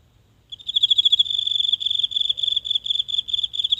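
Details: A single insect calling at night from grassy cover in a small home garden, recorded up close on a phone: a high, rapid pulsing trill starting after a brief silence and continuing steadily, with faint low background hum.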